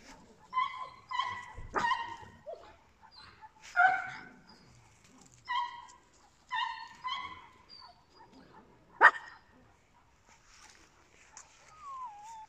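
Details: Papillons and a Yorkshire terrier giving a run of high, clear, ringing yips and whiny barks about every second, separated by softer snuffles and a few sharper barks, with faint household noise behind.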